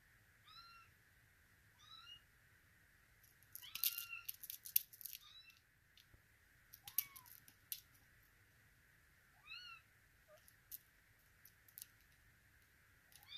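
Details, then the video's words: Russian Blue kittens in Vancouver meowing indoors: about six high, thin meows with layered overtones, each falling in pitch, spaced a few seconds apart. Sharp clicks and rustling come in between, over a steady background hum. "Russian Blue kittens"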